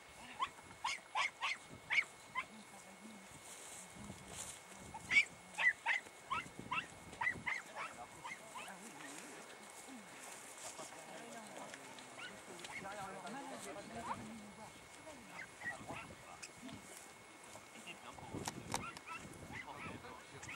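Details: Dachshunds give tongue while trailing a hare, a run of sharp, repeated barks in the distance; recorded on 2 March 2019.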